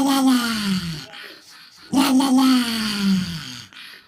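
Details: Dog giving its funny "rawr" sound: two drawn-out, moaning vocalizations, each about a second and a half, steady then sliding gently lower in pitch, with a short quiet gap between them.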